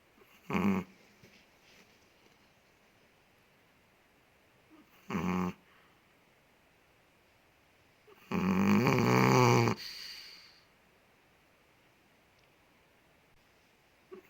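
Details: A big Chihuahua in Indonesia snoring while asleep indoors: short rasping snorts near 0.6 and 5.2 seconds, then a longer rough, loud snore lasting about one and a half seconds, over a faint steady room hiss.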